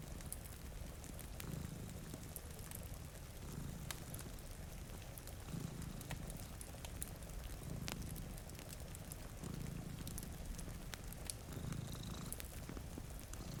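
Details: Soft rhythmic cat purring from two cats asleep by a rainy window, each low rumbling swell lasting about a second and recurring every two seconds beneath sharp fire crackles and rain patter.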